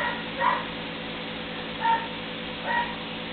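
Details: Three-week-old puppies at play together for the first time; three brief, high, thin whimpers spaced about a second apart over a steady low background hum.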